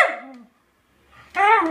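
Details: Two pet dogs, Peggy and Iris, barking while begging for food: a short whiny, harmonic bark sliding downward, then a second of quiet before another tonal, slightly wavering bark.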